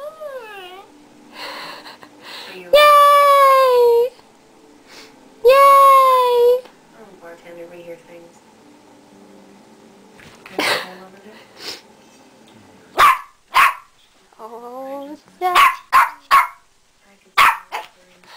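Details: Tuffy, a pet dog who howls whenever his owner says yay, gives two loud, drawn-out wavering howls of about a second each, then a run of short sharp barks near the end, with a human voice heard between them.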